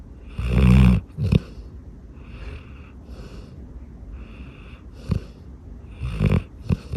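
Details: Sleeping Golden Retriever snoring: one loud, deep, rasping snore up front, then softer breathy snorts and wheezes trailing off, with a few sharper snuffles near the end.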